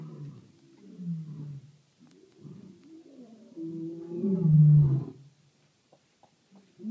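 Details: A lion at night in South Africa gives a deep, rumbling roar that swells to a loud, throaty peak, then fades.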